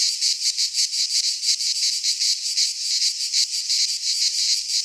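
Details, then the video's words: In a Greek pine forest at midsummer, many cicadas keep up a loud, high buzzing song with a clear rhythmic pulse near three beats per second; nothing else audible. "Cicadas singing in midsummer"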